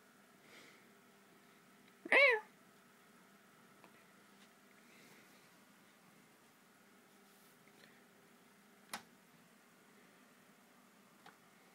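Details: Indoor pet cat, described as always restless, utters one short, wavering meow near the start, followed by a long quiet stretch of room sound with a couple of faint clicks and a brief knock.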